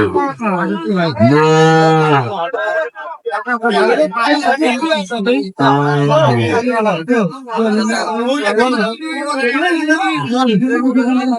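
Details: Sahiwal bull calves at a cattle market, bought by a farmer from Comilla on 27 May 2025. Two long, low, drawn-out moos, the first near 1–2.5 s and the second near 5.5–7 s, with men bargaining loudly over prices in between and afterwards.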